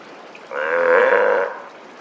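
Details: On the morning after a day of very rough seas, on 26 November 2023, a Steller sea lion gives a single drawn-out, throaty bellow lasting about a second.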